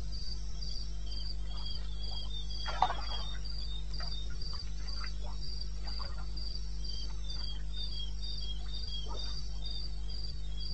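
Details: Cricket calling in the wilderness of eastern Botswana, recorded 21 May 2016 at 2:30 AM: high, pulsed chirps about four per second, with scattered clicks and faint rasping sounds from other night creatures over a steady low hum.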